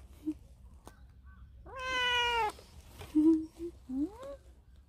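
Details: Stray cat seen at a workplace, lying belly-up and asking to be petted; a strong sustained meow that slowly falls in pitch, followed by short soft chirps and a rising upward mew, with faint clicks.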